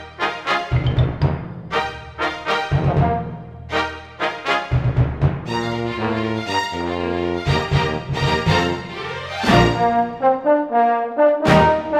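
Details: Loud orchestral music with booming timpani strikes and brass chords, repeating dramatic phrases throughout, with no animal voice heard.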